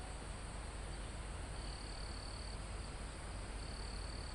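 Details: Crickets in a forest almost at the top of a mountain, recorded live: a continuous shrill high buzz with a lower trill that starts and stops in bursts of about a second, over steady wind in the foliage and trees.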